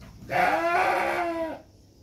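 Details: Batur Merino sheep at the birth of two lambs, giving one clear, sustained bleat of about a second and a quarter. The tone is steady and richly harmonic, wavering slightly before fading out.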